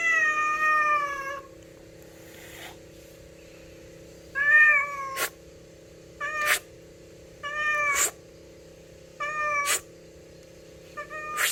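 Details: Daily-visiting stray cat begging for food, giving a string of meows: one longer meow, then five short, bright meows spaced about one and a half seconds apart, each ending in a sharp click, over a steady low hum.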